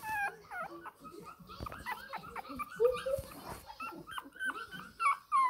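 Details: A 20-day-old Shih Tzu puppy demanding milk makes a jumble of soft, quick whimpers and squeaks, irregular and overlapping, with a couple of louder yelps near the end.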